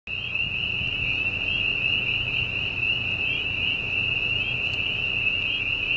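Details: At night on a Pennsylvania dairy farm, a dense chorus of spring peepers forms a steady high shrill over the low mechanical rumble of a gas drilling rig.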